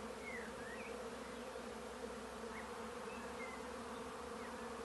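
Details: Steady hive buzzing from many bees, a continuous, even drone without pauses, overlaid by a few thin, distant bird chirps and short rising whistles.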